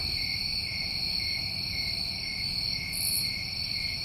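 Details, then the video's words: New England summer crickets trill continuously in a dense chorus, a level high-pitched shimmering buzz in two steady layers, with a short bright high chirp toward the end and faint low background hum. "Over 1 Hour Of Tinnitus Masking With Crickets"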